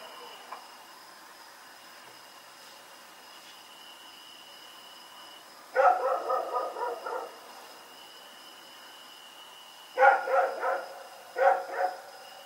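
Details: Rex, a dog out running around in the night on Oct 7, 2018, barks in rapid bouts of four to six sharp yaps, then pauses, then fires two shorter bursts; a thin steady whine persists throughout.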